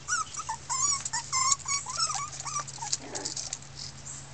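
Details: Miniature Pinscher puppies, a 2013 litter of six red girls, complaining loudly: a quick series of high, squeaky whines and yips with bending pitch, several pups overlapping, over a steady low hum.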